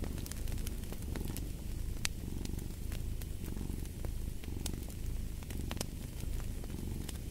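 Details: Deep, even purring from a cat, pulsing gently in breath-length cycles, while fireplace crackles snap irregularly overhead.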